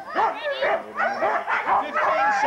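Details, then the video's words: Huskies gathered at a Forest of Dean sled dog race in November 2001, captured on old VHS: a rapid string of overlapping, arching yips and whines from several excited dogs, rising and falling in quick succession. "Husky race in The Forest of Dean"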